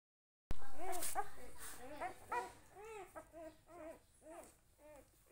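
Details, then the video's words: Puppy with its family, giving a steady series of short, arched, nasal whimpering whines, about two each second, after a brief silence at the start, with faint clattering early on. "so cute puppy"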